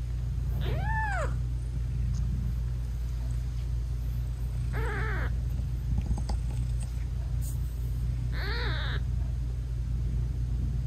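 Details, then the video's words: British Shorthair mother cat with tiny newborn kittens whose eyes are still closed, meowing sweetly while nursing them; three short rising-falling meows spaced a few seconds apart over a steady low rumble, no music. "Sweet Mommy Cat Talking to her Cute Tiny Kittens"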